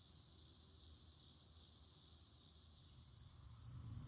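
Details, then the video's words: Continuous high buzzing drone of a cicada chorus in full swing in a garden in August, 2026, even and unbroken, with a low background hum that swells slightly toward the end. "cicada chorus in full swing"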